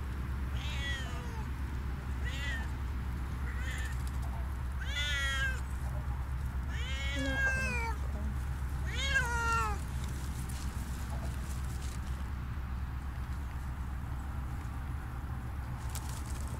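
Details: Siamese cats Otani and Yozora walking off leash in a gloomy forest as it gets dark; six clear, wavering meows over about ten seconds, then quiet with a constant low background rumble.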